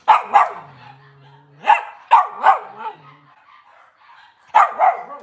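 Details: Cavalier King Charles Spaniel indoors on a breeder's kitchen cam on a cloudy Monday morning; short, sharp barks in quick clusters of two, about six in all, separated by pauses, over a faint low hum.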